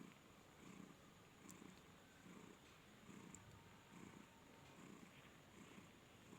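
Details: Flori, a domestic cat at the Noyabati cat market in Khalishpur, Khulna, purring with happiness: soft low rumbling pulses, a little over one per second, over faint room hiss.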